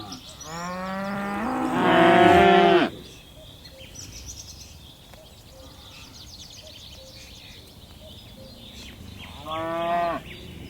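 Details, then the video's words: A long, loud, rising moo of over two seconds from tame cattle hopping down a mountainside in a herd, then a quieter pause and a second shorter moo near the end. "Suara lucu sapi moo"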